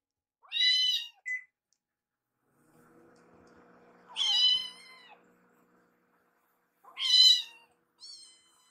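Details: Rescued baby kittens Piyo and Yuki in foster care at mealtime, Yuki curious about Piyo's food. Three high, harmonic-rich meows with gaps of about three seconds, the last two drawn out and falling, plus a faint low hum between them.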